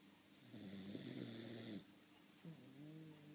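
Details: Molly, a pet dog, snoring while asleep indoors. A soft, rough, droning snore lasts about a second, then after a short pause a quieter, buzzing breath begins. No other sounds are heard.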